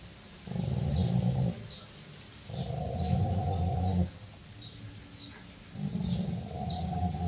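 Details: Angry Rottweiler Roxy guarding a ball and growling at people approaching it, after attacking its owner; three long, deep rumbling growls, each lasting one to two seconds, separated by short quiet breaths.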